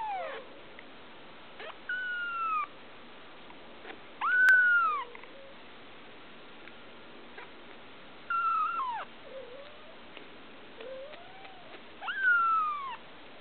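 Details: Blue Persian kitten, a female a day short of two weeks old, giving thin high meows that rise then fall, spaced a few seconds apart, with a few softer low mews between them.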